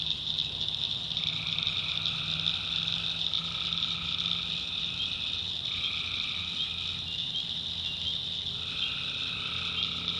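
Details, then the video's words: Tree frogs calling at night in a swamp in the North Carolina backwoods: a dense, unbroken high trilling chorus, overlaid by lower drawn-out calls of one to two seconds that start and stop at staggered moments. "Relaxing Swamp Sounds at Night - Frog Heaven - Frogs"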